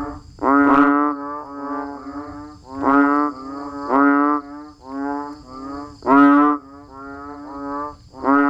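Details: Banded bullfrogs and frogs calling in the rain in natural surroundings: deep, nasal, droning honks, each about half a second, overlapping from several callers, loud ones roughly every one to two seconds with softer answering calls between.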